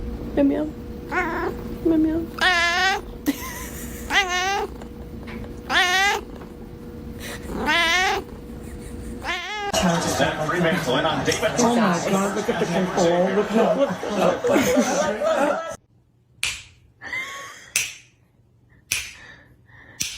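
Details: Pet cat in a comedy compilation producing a run of repeated, quavering meows roughly every one and a half seconds, followed by a noisy stretch of overlapping voices and scattered short sounds.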